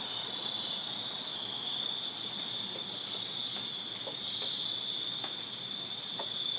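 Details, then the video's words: Crickets chirping on a summer night in a backyard in Virginia: a dense, continuous high-pitched trill from many insects forms a steady unbroken chorus with faint clicks beneath. "Crickets Chirping Summer Night in Virginia"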